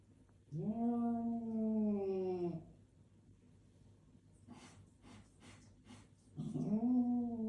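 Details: Domestic cat indoors giving a long drawn-out meow, rising then slowly falling over two seconds, followed by soft rustling and tapping, then the start of a second similar meow.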